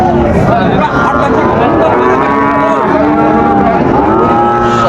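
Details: Calves of the Sahiwal breed for sale at Raniganj cattle market, Dinajpur, Bangladesh, 9 September 2024; several sustained, harmonic moos follow one another almost without pause, backed by low crowd noise.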